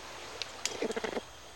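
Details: In a Madagascar cloud forest, a greater bamboo lemur feeding on bamboo gives a quick run of short, nasal, mid-pitched notes, warning another lemur away from its bamboo; a mother with her baby nearby is calling.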